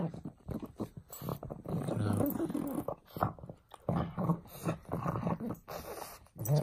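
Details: Frank the pug plays with a bone indoors, growling and grunting in rough bursts with snuffling breaths in between, and a person's voice briefly heard.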